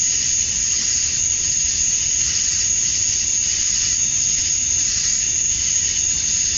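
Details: Male cicadas chirping to attract females at dusk on a summer night in Georgia, USA: a steady, high, shrill drone with faint rhythmic pulsing throughout, no other voices.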